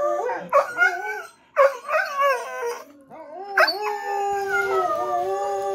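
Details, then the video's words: Two household dogs, Jack and Bobby Joe, howling together at a fire truck siren in a dimly lit living room at night; broken, yodelling howls rise and dip in overlapping bursts, ending in one long steady drawn-out howl. "Dogs howling at fire truck siren"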